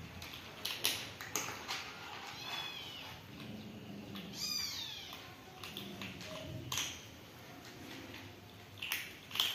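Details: Hungry kittens, among stray kittens fed and cared for at a house, meowing for food: two thin, high-pitched meows, the second longer with a sweeping rise and fall, amid frequent soft clicks and taps.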